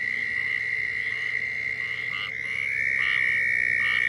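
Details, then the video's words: Southern toads calling in Florida, a mating call: a steady, unbroken high trill holding one pitch throughout, with faint higher chirps from other callers in the background. "Southern Toads Calling in Florida"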